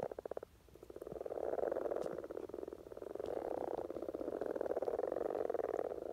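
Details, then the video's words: Common frog courtship chorus in spring, Norway: a brief clear pulsed croak opens, then a continuous low purring rumble of many frogs builds and holds steady. "Common Frog Sounds - Rana Temporaria"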